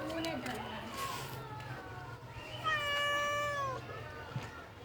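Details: A cat inside a washing machine meows: a single clear, level meow of about a second with a slight drop at the end, preceded by human talking for the first two seconds.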